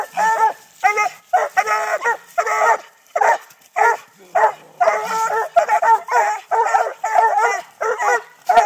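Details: Six-month-old Treeing Walker Coonhound pups in Texas bark up a tree holding a live-trapped raccoon during training. Bursts of rich, harmonic barks pour out in irregular runs, often several dogs at once with brief gaps.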